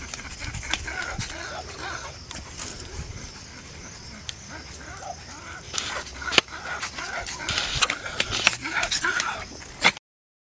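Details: Laika, a pug nearly six months old, enjoying her first outing in a nearby park, gives short sharp barks and soft whimpers, with the loudest bursts near the end, over steady outdoor background noise and human voices.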